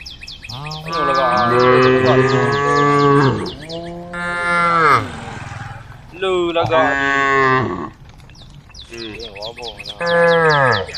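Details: Female cows, tame, calling to a herd of angry cows: a run of four drawn-out moos, some overlapping, with rising and falling tones, and high chirping above and between them.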